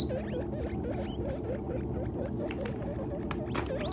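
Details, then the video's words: Guinea pigs eating hay, uttering a fast string of short warbling, looping chirps repeated steadily throughout, with a couple of brief clicks and a low continuous hum beneath. "Best Guinea Pigs Sounds Making Noise While Eating Hay"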